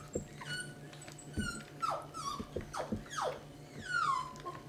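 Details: Basset Hound puppies, 18 days old, from Bullseye's litter of 11, during their first feeding as they begin moving to solid food: repeated falling, whistly whimpers and whines, several overlapping, with a longer descending cry near the end and low hum.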